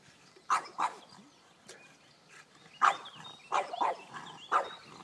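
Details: French Bulldog attacking a robot lawn mower, giving short sharp barks in uneven bursts, about five to six over a few seconds, some in quick pairs, with quiet outdoor background.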